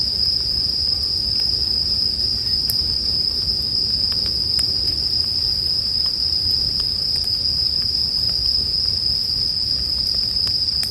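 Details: Bell crickets keep up a sustained, shrill, ringing trill for the whole stretch, with scattered sharp campfire snaps and pops beneath it.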